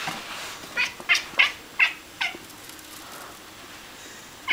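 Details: Channa, a chatty Bengal cat, talks with her owner in short, bright chirping meows. Six quick chirps come in an uneven run, then a pause before one more, over a soft background hiss.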